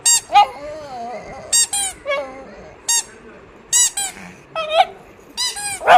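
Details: Oscar, a dog, letting out short, sharp squeaky yelps and wavering whines, spaced irregularly with quiet gaps, indoors with no other sounds.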